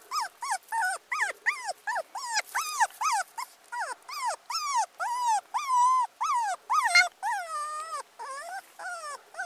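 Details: Abandoned teacup Pomeranian puppy whimpering insistently: clear, high, wavering whines repeated about twice a second, some drawn out and quavering, all on a quiet background.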